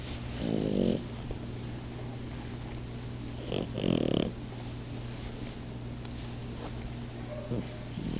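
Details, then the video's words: Momo and Lela, a pair of napping puppies, give two loud, rough snores roughly three seconds apart, each a husky rumbling breath lasting under a second, with quiet rustling between and a constant low electrical hum underneath. "Momo & Lela naping and snoring"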